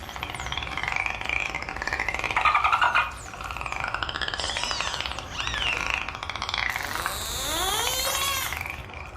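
Dolphins whistle in quick, sliding tones that rise and fall, overlapping one another.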